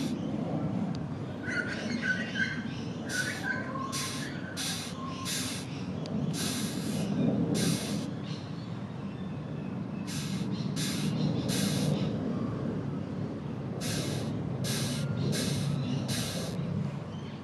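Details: A female rhinoceros beetle, tapped on its back, makes short, raspy hissing bursts in uneven clusters as a defensive sound; Red Hill, Brisbane, Queensland, Australia, 4 December 2023.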